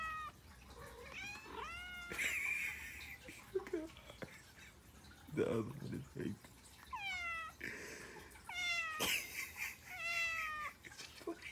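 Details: Domestic cat that woke a sleeping pitbull with loud meows, hungry and waiting for food; repeated wavering, downward-sliding meows mixed with a person's chatter and rustling indoors.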